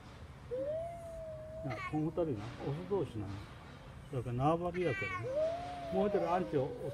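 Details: Two male cats quarrelling in a fight, recorded on a late February 2018 afternoon. Long, wavering, rising and falling yowls alternate with bursts of harsh, strained caterwauling in two bouts, then another drawn-out moan.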